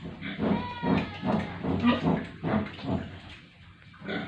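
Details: Pigs on a village farm in India give deep, throaty grunts repeated quickly and unevenly, a few with a tonal whine, before the sound fades to quieter grunting at the end.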